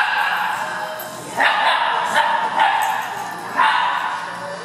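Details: Dogs playing at an indoor dog park, among them foster dog Cisco, an Italian greyhound, and Harley doing his rough play; four short, loud barks ring out over about two seconds above a steady indoor murmur.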